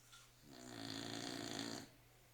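A Staffordshire Bull Terrier gives one long, rattling snore on a drawn-in breath.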